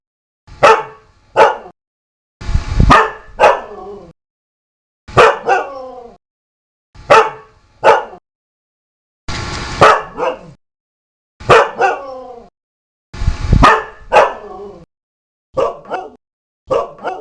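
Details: Dog barking in short bursts, with sharp single and doubled barks repeated every one to two seconds across the recording. Several barks run into rough, rasping tails. Clear gaps of silence separate the bursts, and no other sounds intrude.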